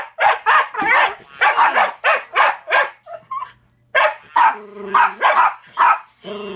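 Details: A young Jack Russell Terrier named Toby, one year old, barks insistently at a chattering Furby toy. The quick, punchy barks repeat in a steady volley, pausing briefly while the toy's buzzy synthetic voice answers.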